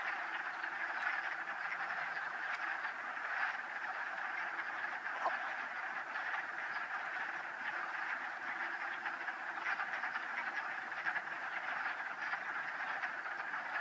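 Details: A dense chorus of wood frogs in a mating ball in a vernal pool at Old Saybrook, Connecticut, on 13 March 2013, their hoarse, duck-like clucking calls overlapping into a steady rattling din.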